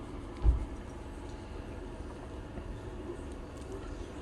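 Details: Low rumbling room or traffic-like noise with one dull thump near the start; no animal voice is heard.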